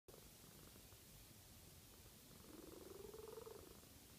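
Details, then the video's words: A sleeping cat snoring softly; one drawn-out, slightly rising breath sound with a faint buzzing texture over steady background hiss. "Snoring cat"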